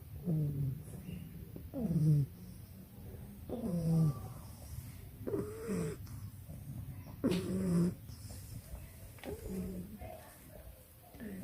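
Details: A male English Bulldog puppy sleeps in a backyard after lunch in Nairobi, Kenya, snoring with rough, nasal, wavering breaths roughly every two seconds, some rising and some falling in pitch, over a low steady outdoor hum.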